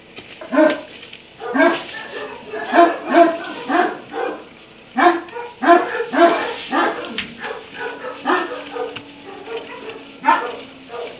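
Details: Dog barking in its kennel inside a barn at 3am: loud, repeated barks coming in quick bursts, sometimes doubled, with short gaps, clearly the dominant sound.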